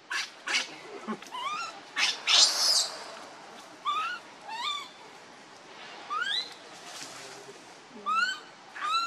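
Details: A hungry baby monkey cries to its mother, begging for milk: thin, harmonic, upward-arching whimpers repeat every second or so, with one loud, harsh, broadband scream in the middle. There is faint background hiss.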